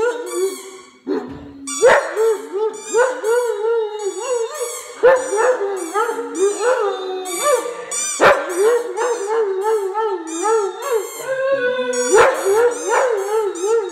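A Great Dane gives a drawn-out, wavering howl that rises and falls around a steady mid pitch. The notes come in rich, harmonic-laden bursts, broken by short yips and catches of breath.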